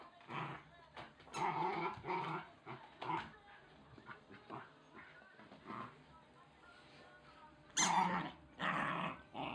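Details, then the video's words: Wire Fox Terrier puppy growling while playing with and tearing apart a chicken toy; bursts of rough, gritty growls broken by short pauses, with a squeaky toy note near the end. "Wire Fox puppy VS chicken toy!!"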